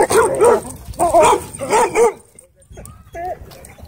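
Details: Dogs at a dog park, where a wolf dog bullies a husky shepherd with pink eyebrows: tonal, arching yowls and barks in two- and three-note bursts about every second, followed by quieter rising whines and some background noise.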